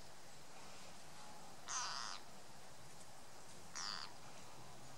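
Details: Green frog giving distress calls while being eaten by a grass snake: two harsh, screaming, broadband cries about half a second long, roughly two seconds apart, over a quiet background hiss.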